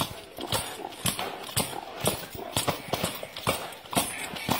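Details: Dancing Arabian horse, steady clip-clop of hooves roughly twice per second, sharp percussive strikes over low background murmur.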